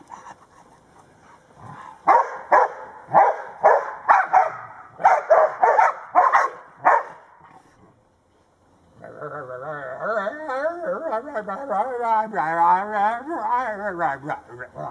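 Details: Two 19-month-old Old English Sheepdogs, Blade and Sky, at play with their owner: a run of loud, rough barks about every half second for five seconds, a pause, then a long, wavering, drawn-out voiced sound.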